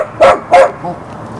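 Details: Two sharp, loud yaps, evenly spaced about a third of a second apart, from Jessy, a Border Collie puppy in Barsbüttel, Hamburg, January 1994, followed by a softer short whine-like note and quiet background.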